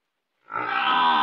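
A buffalo gives a short, rough, grunting bellow rich in harmonics.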